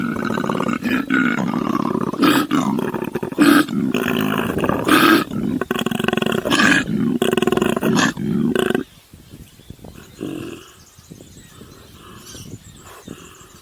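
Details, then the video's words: Koala on Kangaroo Island, Australia, a wild animal said to be female, feeding on eucalyptus near people and giving the strange noise typical of males: nearly nine seconds of deep, throbbing, harsh pulsed bellowing with snorting bursts, ending abruptly into quiet rustles. "cute Koala making weird sound and eating"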